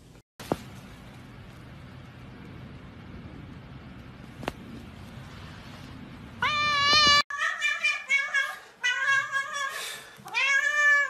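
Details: Domestic cat in a funny-moments compilation: a quiet indoor stretch with two sharp clicks, then a string of loud harmonic meows late on, some rising and falling, one ending in a bending upward slur.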